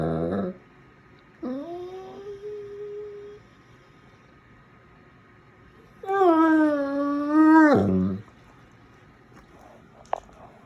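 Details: Dogo Argentino indoors yawning and trying to talk: a short low groan, then a drawn-out whiny tone settling flat, and later a loud wavering yowl-like vocalization about two seconds long, with quiet room tone between.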